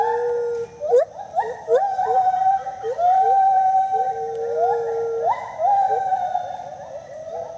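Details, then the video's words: Gibbons Speedy and Maui duet at the IPPL rescue centre in South Carolina: long level and gently rising wails overlap with short upward-sliding whoops, the two voices interweaving continuously with a few sharp clicks. "Speedy & Maui dueting."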